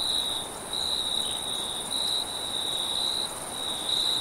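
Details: Late-night crickets: a clear high trill in short stop-start phrases, backed by a constant very high buzzing tone and little low-frequency noise.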